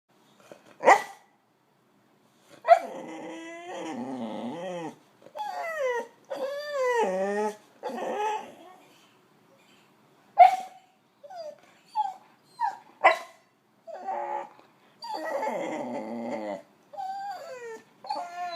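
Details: Boxer dog on a house sit in Mexico, rousing people in the morning as a daily alarm clock; sharp barks mixed with long wavering whines and yowls in bursts, with short pauses between.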